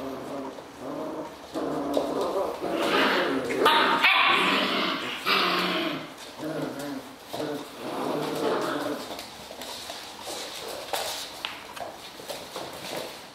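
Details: Serbian Mastiff puppies, five and a half weeks old, giving a run of high whimpering yips and short barks, clustered in bursts over the first nine seconds, then fading to scattered clicks and shuffling sounds.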